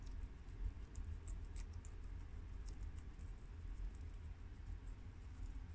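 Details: Four pet guinea pigs, two American boars and a long-haired mini yak and Abyssinian sow, chew freshly washed garden romaine lettuce: quiet, irregular crisp ticks and crunches scatter over a steady low rumble.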